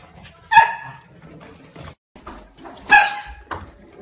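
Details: Shiba Inu dog outdoors during ball play and fetch training: two short, sharp, high yipping barks about two seconds apart, with rustling and handling noises in between.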